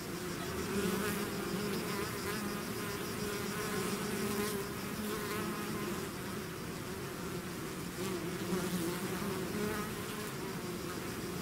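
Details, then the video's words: Many bees swarming out of a hive produce a steady, rich hum of overlapping wingbeats, the tone wavering slightly as individual insects pass nearer, with no other sounds present. "bees therapy swarm natural buzzing sound"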